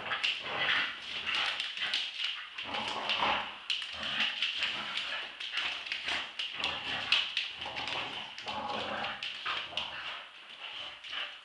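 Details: Staffordshire Bull Terriers Roxy, two years old, and Ralph, eight months, in a tug-of-war play fight. Continuous harsh, raspy growls come in short overlapping pulses, with occasional whimpering squeals and small taps.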